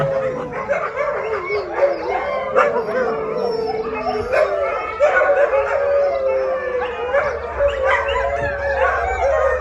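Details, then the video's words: Several hungry Siberian Huskies at a husky rescue howl together in the evening before dinner, overlapping long wavering howls and higher whines blending into a continuous chorus, with occasional yips. "Sounds of Husky Halfway House"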